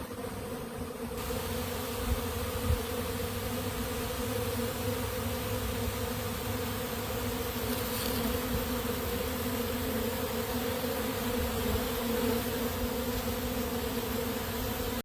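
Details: Western honey bee swarm leaving a tree after resting there three days and moving into a bait hive box baited with drawn comb, beeswax, coconut oil and lemongrass oil: a dense, steady, droning hum with layered tones, continuous throughout.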